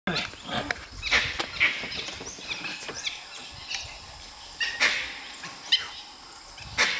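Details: Dholes at Nagarahole National Park, trying to hunt a tiger, give short high whistled calls at irregular intervals, with sharp clicks and rustling between them in an outdoor forest setting.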